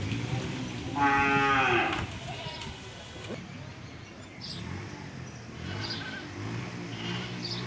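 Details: Sahiwal cross and bullock cattle at the Sagorika cattle market in Chattogram, 2024. A single deep, harmonic moo lasting about a second rises above the crowded market murmur, with people talking throughout.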